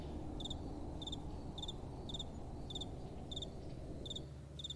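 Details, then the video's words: Night-time crickets under soft wind, giving paired high-pitched chirps at an even pace of roughly two per second, while a deep, constant wind rumble fills the background. "Relaxing Night Time Sounds | Crickets & Soft Wind"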